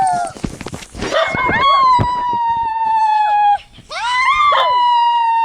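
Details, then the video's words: Howling dogs, played to prompt pet dogs to join in: a burst of rough yelps and scrappy noise first, then two steady sustained howls that sag slightly in pitch before breaking off. "Try not to howl challenge for your dogs"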